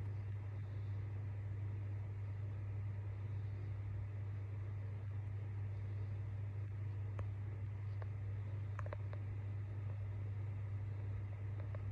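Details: A steady low mechanical hum like a fan or engine, with a few faint clicks and no animal calls.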